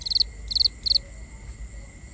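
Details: Nighttime crickets, recorded binaurally: three quick clusters of bright, high-pitched chirp pulses in the first second, then a soft continuous high hum of other insects.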